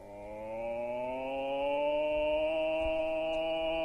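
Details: Wolves howling together in the wilderness: several steady, drawn-out tonal voices overlap and layer, rising slowly in pitch and growing louder over the first seconds, then holding a sustained, resonant chord.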